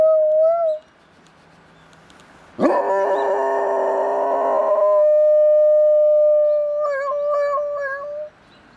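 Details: A dog responding to a siren going off, trying to imitate it: a long, steady, tonal howl held for several seconds, ending in wavering pitch bends, after a short opening note and a loud harsh onset.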